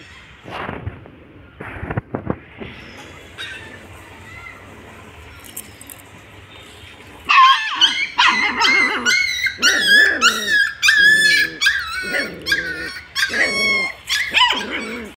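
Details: Dogs, a Rottweiler facing a street puppy, in a barking standoff: after seven seconds of near quiet with faint knocks, shrill, harmonic yelping barks burst out in rapid, uneven bursts of two to four, several each second, continuing to the end.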